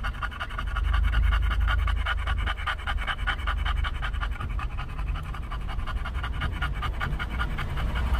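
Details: English bulldog panting in a car at a Starbucks drive-thru in California. Rapid, breathy, rhythmic pants at about four per second continue throughout over a steady low engine rumble.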